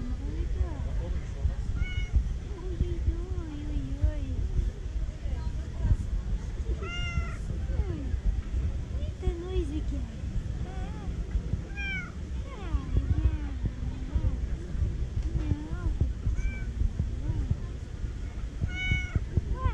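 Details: Affection-seeking female tabby cat in a park meows repeatedly; a long series of short, bending mews, several sharp high-pitched ones recurring every few seconds, with constant low outdoor rumble and speech around.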